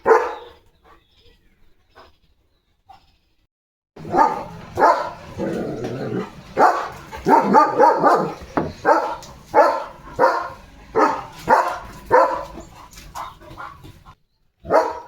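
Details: German Shepherd barking in the morning while chasing sparrows away from a feeder in a farmyard; a quiet start, then a run of sharp, loud barks repeated roughly every half second to second, with brief gaps.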